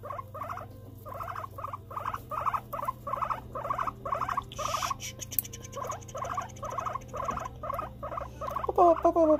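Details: Pet guinea pig, kept separately beside another it cannot live with, giving a steady run of short, bubbly, stuttering notes about two to three per second, a brief rustle midway, faint household hum beneath.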